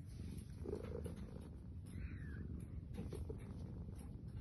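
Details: Female pet cat talking in her sleep, seeming to answer back: a soft continuous low rumble, faint murmured chirps near the start, then a brief falling mew about two seconds in, with quieter chirps after.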